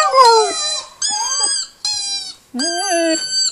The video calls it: Husky howling